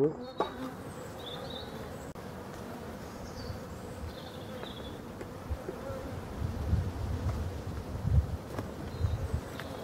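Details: Honey bees at a hive in Brittany, France, during the last winter feeding on 4 February 2021. A steady, low droning hum runs throughout with a faint higher whine, and there are occasional soft clicks and handling noises.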